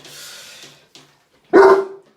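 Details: A large Doberman, a medical foster being treated for mange and skin and ear infections, gives one loud, deep, booming bark in response to other dogs he hears barking.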